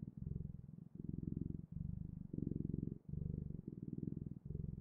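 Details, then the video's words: Cat purring at close range indoors: a steady low rumbling purr in rhythmic breath cycles, about six cycles in under five seconds, each pulsing phase separated by a brief pause, with no other sounds. "Purring Clouds: The Best, Ultimate, and Magical Sounds of Cat's Purring"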